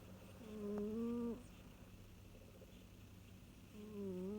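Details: Domestic cat named Masya snoring while feeling maximally cosy; two drawn-out harmonic, slightly rising snores, the first lasting about a second, the second starting near the end, over a low steady hum.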